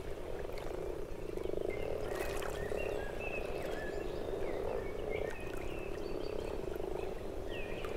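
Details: A spring mating chorus of common (grass) frogs, just out of hibernation on the first warm sunny days, in protected forest south of Moscow on the Oka: steady low purring and grunting, with faint bird chirps and whistles.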